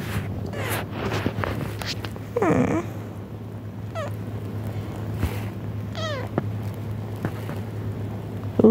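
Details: Domestic cat indoors, puzzled by videos of other cats meowing; a few short, sliding meows spaced a second or two apart, one rising at the very end, with a constant low electrical hum.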